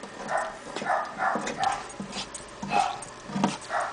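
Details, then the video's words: Toy Poodle indoors, worked up while attacking a lizard cage, giving a rapid series of short yappy barks and whines, about two or three per second, with rustling in the background. "Poodle attacks lizard cage!!!"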